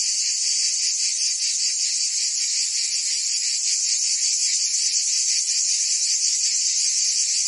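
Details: Summer cicada chorus from Provence, France, heard as a continuous shrill buzz that never drops out, its grainy surface pulsing softly about twice a second, with nothing else audible.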